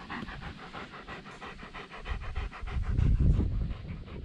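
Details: A dog pants at a dog run in October, on the day its play pool is taken down as the weather cools. The breaths are quick and rhythmic, about four per second, with low rumbling background noise that grows louder near the end.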